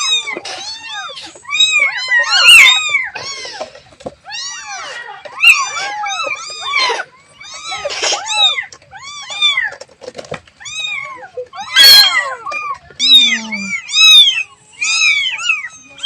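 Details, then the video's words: Young kitten calling its mother among many other kittens. A continuous stream of shrill, arching mews overlaps densely for the whole stretch, with occasional louder piercing cries and brief quieter gaps. "The sound of a baby cat calling its mother"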